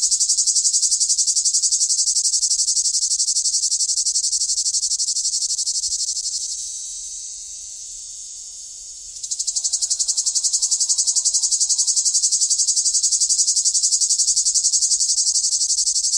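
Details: A summer cicada drones in a loud, continuous, high-pitched buzz that briefly softens and then swells back.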